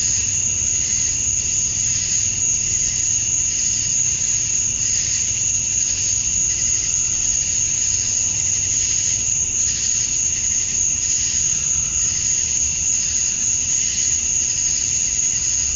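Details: A chorus of male cicadas calling to attract females at summer dusk in Georgia, USA: a continuous shrill ring over a loosely throbbing buzz that pulses roughly three to four times a second.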